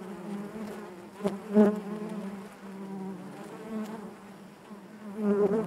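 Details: Inside a beehive, honey bees produce a thick constant hum with several parallel overtones; a loud swell rises midway through the second second and the buzzing strengthens again at the close.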